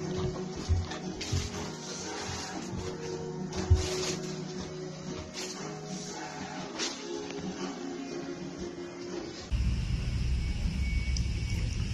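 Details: Indoor music plays over running water and small household clatter, with the background noise growing louder and harsher near the end.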